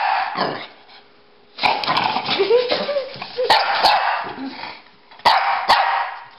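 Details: Pekingese and Bulldog at play, chasing each other: bursts of sharp barks and throaty growls, some high yelping notes, irregular and clustered, with brief pauses of near quiet and occasional clicks.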